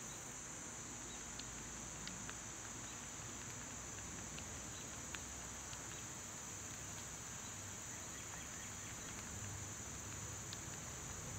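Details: Summer cicadas sing a steady, high, hissing drone that holds unbroken through the whole stretch, with scattered short bird chips and faint ticks above a low outdoor rumble.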